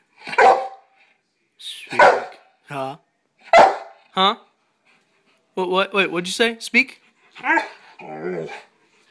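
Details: A male Rottweiler gives single deep, gruff barks on command, each answering a person's repeated "speak" prompts, and is praised as a good boy.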